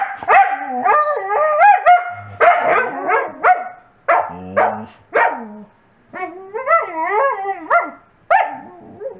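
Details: Covi, a coastal wolf, gives bursts of yodelling, whiny barks that bend up and down in pitch, demanding a toy from a Wolamute companion, who answers with happy whining.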